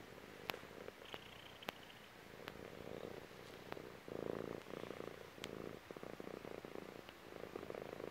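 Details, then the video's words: Female cat, chubby, purring on her owner's belly; quiet rumble that grows louder after four seconds into strong pulsing bursts, with several sharp clicks from movement scattered through. "CAT PURR"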